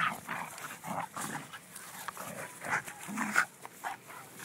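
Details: A schnauzer and a beagle tussle at play, trading quick guttural growls and grunting barks roughly every half second, rising to a sharper outburst near the end.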